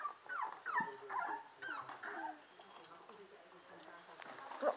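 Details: Whippet pups, 25 days old, from the Match Point x Royal Spirit litter, 5 December 2011: thin, high whimpers and yips that bend up and down in pitch, bunched in the first two seconds, then quieter fussing beside a soft Dutch-speaking voice.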